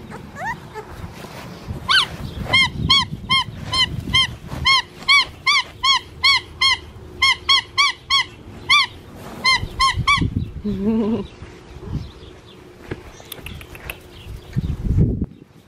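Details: Blue merle male Australian Shepherd puppy, one of a litter bred at an Oklahoma farm, giving a long series of high, arched squealing yelps in short bursts, about twenty in all, then softer lower whimpers and some rustling.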